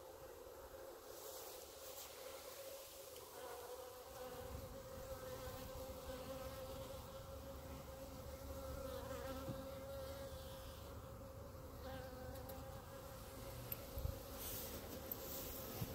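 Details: A clump of honey bees on grass before the hives hums continuously, a steady layered drone that swells slightly mid-way, with light handling noise and a few clicks toward the end.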